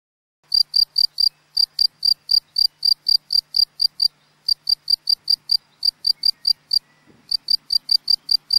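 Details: Male field cricket, Gryllus campestris, singing to attract a female near its burrow; loud, clean chirps of three or four pulses repeated about three times a second in a steady series, one short pause, otherwise quiet.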